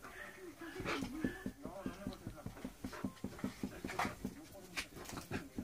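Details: Irish Jack Russell Terrier, a female named Bella, playing: quick rhythmic huffing pulses, about five per second, like hard panting or soft play growls, with faint human voices underneath.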